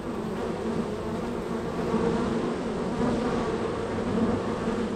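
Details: Very active honey bee hive, bees flying in and out; steady swarm-like hum swelling after two seconds, with several close fly-by whines standing out above the continuous drone.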